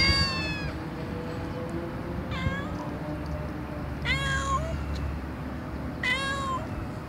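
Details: Domestic cat giving short meows, collected to lure cats: four brief calls roughly two seconds apart, each a clear tone that bends upward at the close, over a constant low hum.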